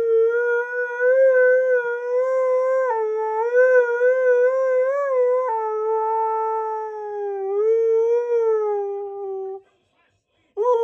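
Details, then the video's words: Keyush, a Siberian Husky, howls along to Queen's Flash: long, sustained, wavering tones, several phrases broken by short pitch steps and slowly sliding lower, ending in brief silence before another howl begins. "Husky Thinks He Sings Flash Better Than Queen!"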